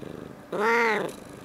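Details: A domestic cat chatting with its owner indoors, recorded 21 February 2018, gives a single soft, quiet "coo" lasting about half a second. The note is smooth and tonal, rises slightly then falls away, with faint room noise behind it.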